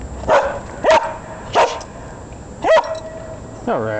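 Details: Dog on a daily walk in Chicago chasing a squirrel, barking four times in sharp, evenly spaced barks about a second apart, followed by a higher whining yelp, with outdoor hum in the background.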